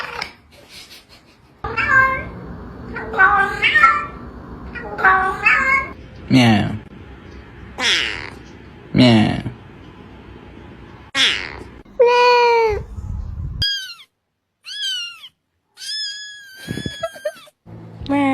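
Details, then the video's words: Cat meowing indoors: the first half is mostly mixed voices and noise, then a run of short, high, downward-sliding meows near the end, several in quick succession with brief pauses between them. "the sound of a cat's meow"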